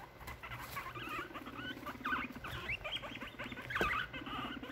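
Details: Fighting among three six-month-old male guinea pigs kept in a cage, late at night; short high squeaks and chirps come in quick irregular bursts over scuffling and clicking.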